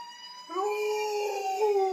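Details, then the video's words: Male Alaskan Malamute howling in response to a siren: a steady high tone plays, then a loud, sustained, harmonic-rich howl enters and holds a fairly even pitch with slight wavering until the end. "My malamute howling at sirens"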